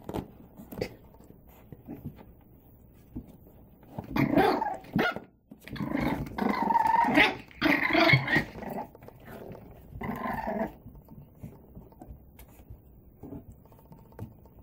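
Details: Male and female Boston Terrier puppies playing give short bursts of rough growls and high yips between quiet pauses.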